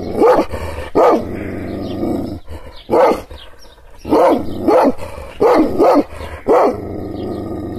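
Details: Kangal shepherd dog angered by hand gestures, barking aggressively: deep, harsh barks in uneven bursts, some paired in quick succession, with growling rumble filling the gaps.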